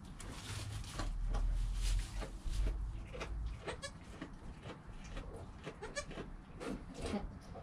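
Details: Newborn goat kid Joel, within an hour of his birth, beside his calm mother Penny, filmed on a GoPro: two short, thin, harmonic bleats near the middle, over heavy low rumbling and handling noise.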